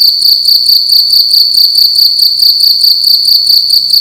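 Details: In a room at night, a cricket makes a loud, continuous high chirping trill, rapid pulses of even loudness running back to back at one sharp pitch, with no background noise.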